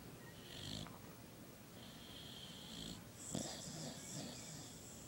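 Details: Dog sleeping and snoring: a quick series of breathy, hissing inhalations and exhalations, each under a second to about a second long, with a faint soft snort in the middle.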